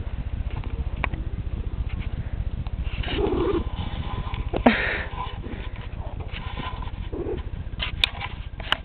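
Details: Princess, a hyper female pet cat, keeps up a deep, even purr beneath gentle human chatter, with a few sniffs and soft clicks breaking in.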